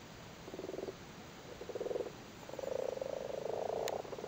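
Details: Spawning frogs in a flooded cattle grid in Cork, Ireland, calling while sitting on spawn; two short pulsed purring croaks are followed by a longer, louder rattling run of overlapping calls.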